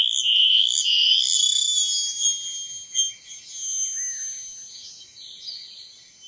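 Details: Cicada sounding a steady, piercing high-pitched drone with a wavering overtone, holding on without pause and easing slightly in loudness.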